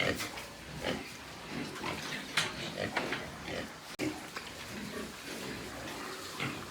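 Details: Pig farm in Nepal with white pigs: frequent rough grunts and snorts, a brief sharp click partway through, and faint human voices mixed into the farm noise.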